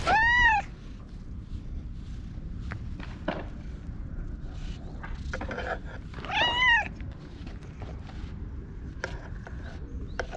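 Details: Orange tabby stray cat conversing in meows as it rubs against someone and gets brushed, captured outdoors with a GoPro; two clear arched meows six seconds apart, with scratchy brushing and handling noises between.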